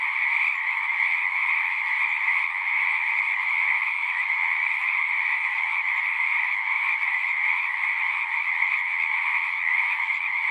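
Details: Frogs calling en masse, a constant overlapping drone of rapid croaks at high and middle pitch, unchanging level for the whole stretch, no other animals or people heard.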